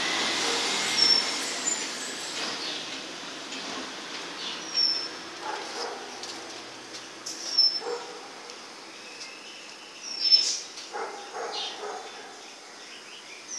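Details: A male Dachshund, about a decade old, gives short, sharp yips and barks at intervals over a steady background hiss during his evening routine.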